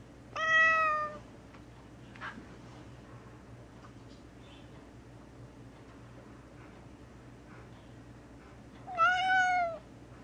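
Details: Very vocal gray tabby cat Mouse, confined indoors for several days because she was unwell and needed medication. A clear, falling meow opens the recording, then a longer rising-and-falling meow comes about eight seconds later, over a low steady indoor hum.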